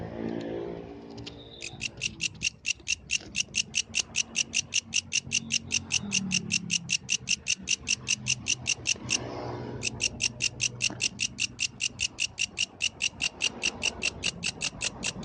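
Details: Yellow grasshopper singing at night in the wild: a fast, even train of dry, high buzzy pulses, about six per second, broken by a short pause then resuming, over a low background rumble.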